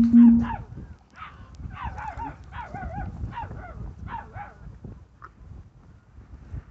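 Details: Labrador Retrievers, an adult male and female, in Andhra Pradesh, India: a run of short, high whining yelps that rise and fall in pitch, about ten over several seconds, above low rumbling background noise.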